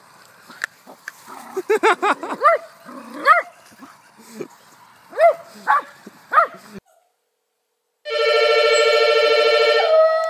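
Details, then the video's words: Poodle vocalizing in a funny dog compilation: a run of short, rising yips and barks with clear harmonics, bunched over about seven seconds, then a gap followed by a steady sustained electronic-like tone. "Perfect Poodles | Funny Dog Compilation"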